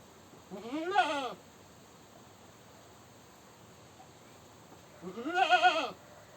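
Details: Two loud goat screams about four seconds apart, each a quavering, nasal bleat lasting under a second, rising then falling in pitch, with quiet background between.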